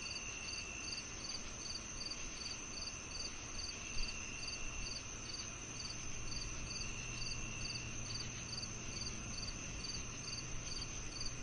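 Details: Crickets and cicadas whose chirping is meant to calm and mask tinnitus: regular high pulsed chirps roughly twice a second ride over a steady piercing drone, with noticeable low rumbling underneath and one brief knock.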